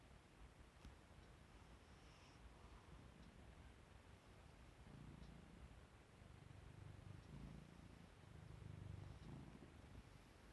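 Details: Domestic cat Ajiko, asleep indoors with only its tail showing and then waking up and yawning, purrs softly. A low, steady rumbling pulses at roughly three or four beats per second, swelling slightly louder midway and toward the end.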